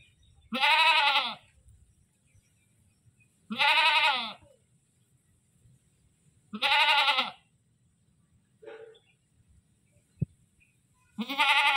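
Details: Goat yelling in loud, quavering bleats roughly every three seconds, four full calls plus a short low grunt and a sharp click in the quieter stretch.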